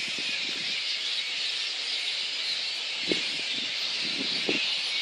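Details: Little red flying foxes at a roost in Boonah, Queensland, Australia, on 19 February 2014, before the dispersal by council and contractor. A dense, steady band of high squealing chatter runs throughout, with a few low thumps and rustles.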